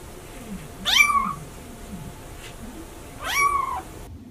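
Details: Domestic cat giving two meows about two and a half seconds apart, each a quick rising-then-falling harmonic cry, against a soft steady background hiss.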